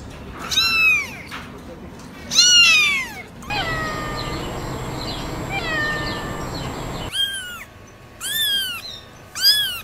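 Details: Kittens giving high, arched mews in short bursts, with a quieter middle stretch of fainter meows over a steady hum, then more sharp cries near the end.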